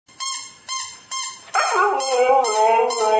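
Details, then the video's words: Siberian Husky named Nyockyee reacting to a played sound: three short, fading tonal pulses, then a sustained wavering howl that sweeps up and dips, holding for about a second and a half. "KETIKA HUSKY MENDENGAR SUARA INI"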